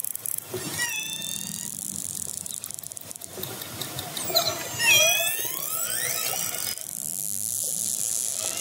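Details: Orcas (Orcinus orca) approaching a fishing boat, recorded underwater, give squealing, harmonic calls that sweep up and down over a steady underwater hiss.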